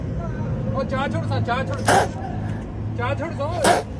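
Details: Angry little street kitten among stray cats: wavering, harmonic growling cries come in short runs, broken by two sharp broadband hiss-like bursts, over a steady low traffic rumble.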